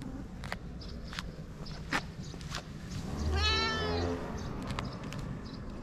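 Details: A fluffy cat in Japan gives a single drawn-out meow midway, rising then falling in pitch, among scattered clicks, footsteps and low rumbling background noise.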